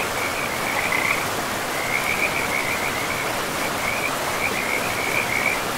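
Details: Beside a forest river among trees and moss, frogs give brief bursts of fast, rattling mid-high croaks, a pause between groups, against a dense, steady roar of running water.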